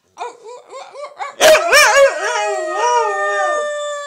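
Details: Gracie the wolfdog, howling to reaffirm her family bond: a few short yipping notes open, then a loud burst and a wavering howl that settles into one long, steady tone.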